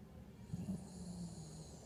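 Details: Havanese dog snoring during a nightmare: a faint, low buzzy drone that rises briefly, then holds steady for about a second, with a soft airy hiss above it.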